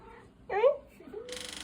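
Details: A pet cat, described as very smart, answers when asked to say bye with one short meow that rises and then falls. A burst of hissing noise follows.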